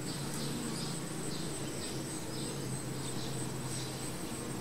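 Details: At the hive, honey bees produce a deep, steady buzzing drone with a faint tonal hum, while a thin high insect whine runs constantly and soft bird notes repeat in the background.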